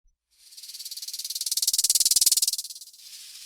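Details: Rattlesnake rattle, a warning of danger: dry, rapid buzzing rattle of evenly spaced pulses, swelling louder toward the middle and fading after about two and a half seconds.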